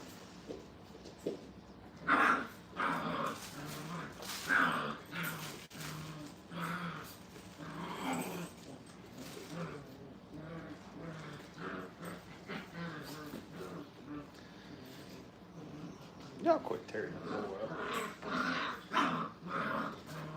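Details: Five-week-old puppies at a training kennel playing and tearing up the flooring with little teeth: bursts of small growls and whimpering yips, loudest near the start and again late, with a man talking over the play.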